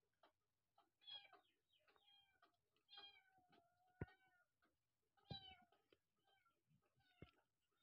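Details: Abandoned kittens with their mother cat, who wants to rescue them: repeated thin, harmonic meows, often overlapping, some rising then falling, at a steady pace through the recording, with a few sharp clicks and a low background rumble.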